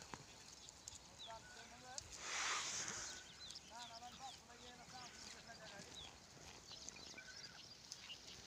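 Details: Kamori goats crossing and meeting give several quavering bleats at scattered moments. A loud broadband rustling burst comes early, over general farmyard background noise.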